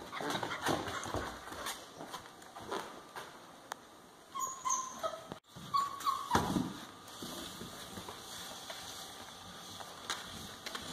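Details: Central Asian Shepherd puppies, a litter including two 5.5-week-old females, giving short high whines and whimpers clustered near the middle of the clip, amid scuffling, knocking and rustling noises.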